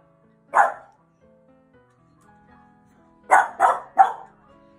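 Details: French Bulldog, four years old, barking at a dog on TV before counter-conditioning training; a single bark, a pause of nearly three seconds, then a fast run of three barks, with quiet music and television sound underneath.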